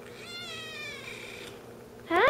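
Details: Kitten about three months old, adopted from a humane society, talking because it is happy: one long, rasping, harmonic-rich meow that holds steady then slowly falls, followed by a person's brief greeting.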